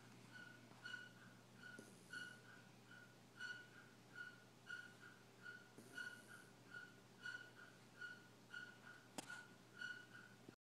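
A sleeping dachshund snores with a thin, whistling tone on each breath, repeating a little more than once a second.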